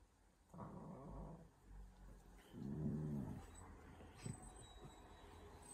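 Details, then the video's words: Siberian Huskies indoors arguing and being dramatic: low rumbling growls with harmonic stacks, one near the start and a louder, wavering grumble around three seconds, with quieter room noise between. "Huskies being dramatic and weird | Funny husky argument"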